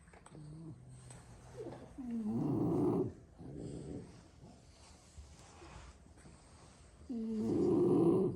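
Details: Six French Bulldog brothers asleep in a room after a long play session; a soft whistling wheeze, then two harsh rattling snores several seconds apart, the second the loudest, with quiet breaths between.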